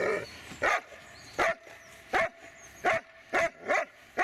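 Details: Magmar von der Burgstätte, a Dobermann, barking steadily: eight loud, sharp barks at slightly uneven intervals of roughly half a second to a second, over a low steady background hum.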